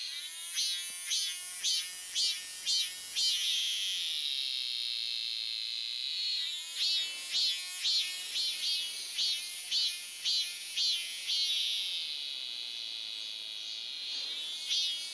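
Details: Robust cicada at Daegok-ri, Gapyeong County, back after one year: loud, high, shrill buzzing in rapid pulsed bursts about twice a second, a pause near four seconds, then renewed pulsing that merges into a steady drone.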